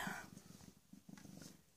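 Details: PeeWee, a rescued female cat about 18 or 19 months old, recently spayed, who had a litter of kittens last summer, purring indoors: a soft, low rumbling made of rapid even pulses, steady and quiet throughout, with a faint higher sound at the start.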